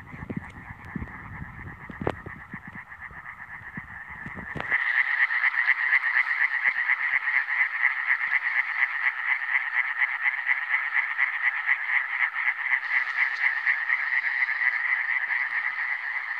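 Iberian tree frogs give a dense, rapid chorus of harsh, pulsing croaks.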